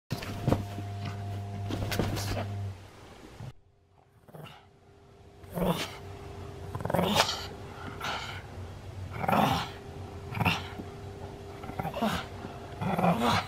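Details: Senior pug dog indoors in Japan, recorded 31 October 2020; a series of short, rough, harmonic vocal bursts repeated every second or two after a low steady hum and a brief quiet gap.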